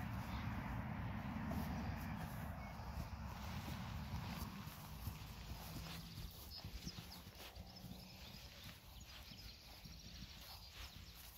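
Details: Friesian mare Reintje with her two-day-old colt Minze Teije, guarding him closely: a low, rumbling, breathy horse sound with faint steady tonal bands low in pitch, over outdoor wind and handling noise.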